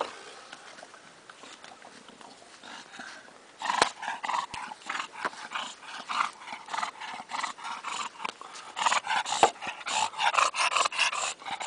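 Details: English bulldog, quiet at first, then breaking into rough panting snorts that repeat about every half second, growing louder and more rhythmic toward the end.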